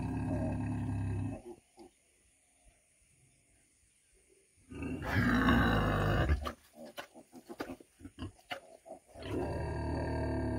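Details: Low grumbling calls from a 100 kg female pig: a rough grunt, a long quiet pause, then a louder drawn-out grunt followed by a string of knocks and another low call.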